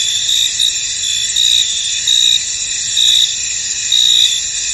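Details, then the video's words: Chorus of crickets chirping in a foggy field: a dense high-pitched trill beneath short, bright chirp bursts repeating about once a second, even and unbroken throughout. "Tranquil Cricket Sounds In An Misty Field"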